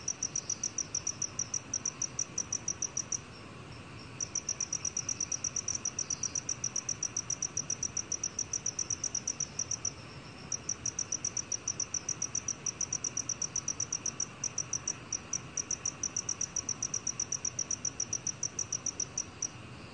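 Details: Black cricket recorded for Korea's National Institute of Biological Resources in 2020: a steady train of short, high, ringing chirps, several per second. The train breaks off briefly near the start and again midway, over a faint background hiss.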